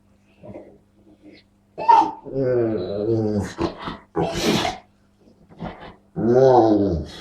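A dog makes odd, wavering, voice-like moans and grumbles, broken by short breathy bursts.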